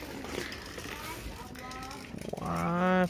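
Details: Feral cat heard outdoors with a short, steady, tonal meow held for about half a second at the end, following a stretch of human talk and background noise.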